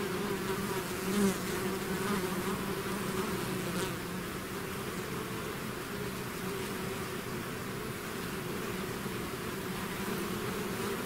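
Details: Bees swarming out of a hive: a thick, steady droning hum from countless wings, layered low and mid tones holding level throughout, with no other sounds breaking through.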